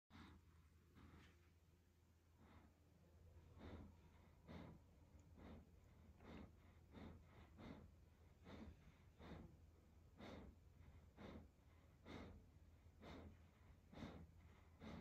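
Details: Evo, a German Shepherd, settling down to sleep for the night, gives soft, breathy snorts and puffs. They come short and fairly steady, roughly one per second, over a constant low hum.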